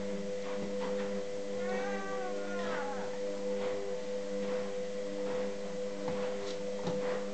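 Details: A cat fighting a Staffordshire bull terrier gives short, wavering yowls and growly cries over a steady electrical hum.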